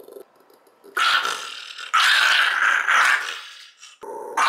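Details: Pet Shiba Inu, two years old, resisting having its teeth brushed, gives two harsh, raspy growls about a second each, with a short break between them and a brief noisy burst at the end.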